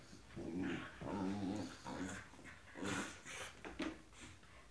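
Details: Tibetan Terriers among dog friends: low, throaty growling in four or five rumbling bursts roughly a second apart, with faint higher whines and light rustling between them.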